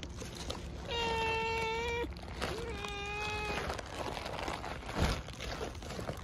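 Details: Mii-chan, a stray cat, being fed a Churu treat, gives two drawn-out steady meows about a second long each, the second slightly softer and starting with a brief upward slide, followed by rustling noises.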